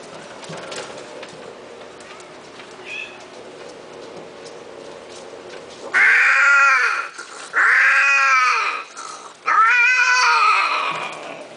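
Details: Thick-coated Himalayan cat: after about six seconds of quiet background hum, three loud, long, wailing meows, each swelling and then falling away, roughly a second and a half apiece with short gaps between.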